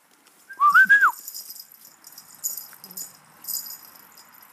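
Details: Boerboel puppies Ironman and Indiana, 52 days old, at a kennel in Kiev, Ukraine: one gives a short, loud, tonal whine that rises then wavers and drops over half a second, followed by faint rustling and soft hiss.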